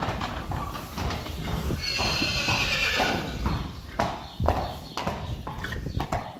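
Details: Friesian mare Sjirkje with filly Mathilde, born 22 February 2020, being accustomed to a halter on 29 February 2020; a short, breathy whinny near the start, followed by a run of clip-clopping hoofbeats and handling noise.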